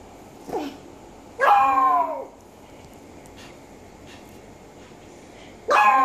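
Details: Japanese Chin, also called Japanese Spaniel, giving a few high, yelping barks with falling pitch, one short then two longer drawn-out yelps, over a steady hum and background noise.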